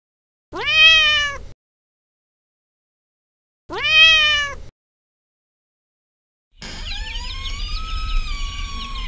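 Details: Turkish Van cat seeing off the neighbour's dog: two loud drawn-out rising-then-falling yowls about three seconds apart, then a longer, harsher, sustained wail, no other sounds.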